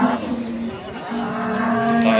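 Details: Limousin cattle at the Pasar Wage cattle market in Pati, Indonesia: a loud, low, drawn-out moo, a short pause near the middle, then a second long steady moo holding the same deep pitch.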